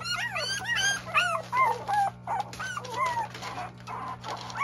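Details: Goldendoodle puppies, several young pups making high whimpering yips and squeaky whines, rapid overlapping cries with rising and falling pitch, steady low electrical hum behind.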